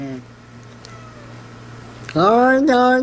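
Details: Pet cat making strange noises: after a steady low hum, two loud, rising, nasal meows follow quickly, the second one short and clipped.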